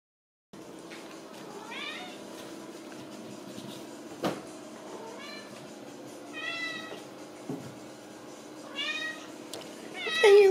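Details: Ragdoll kitten from a home cattery in central Kansas, raised without cages, giving several rising-falling harmonic meows spaced about two seconds apart over a steady indoor hum, with a few clicks and knocks.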